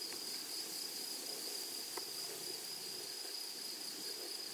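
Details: Meadow grasshoppers among flowers keep up a continuous thin, high whine that holds one pitch throughout, over a faint airy hiss, with a couple of brief clicks near the start and middle.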